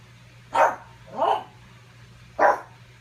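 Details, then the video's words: Pug barking at its own reflection while trying to steal its ball, spending the afternoon at it indoors; three short, sharp barks spaced roughly a second apart, with a steady low hum beneath. "Sometimes I spend the afternoon barking at my reflection trying to steal my ball."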